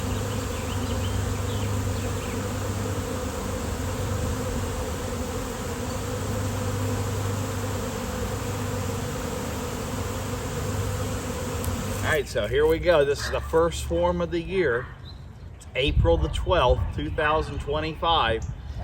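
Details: Honeybee swarm on a nice-weather day: about twelve seconds of steady low droning buzz, then people's voices take over and the hum fades beneath their talking.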